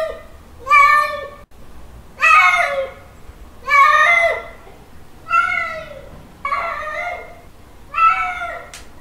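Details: Domestic tomcat calling a female in a mating display, six long strained meows spaced roughly every one and a half seconds, rich in harmonics with a rising then falling wail, faint room hum between calls.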